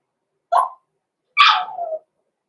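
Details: Six-week-old blenheim Cavalier King Charles Spaniel puppies, Roman and Blue, born November 14, 2022, in an indoor home puppy pen: one short sharp yip, then a longer, higher bark that trails downward, with silence around them.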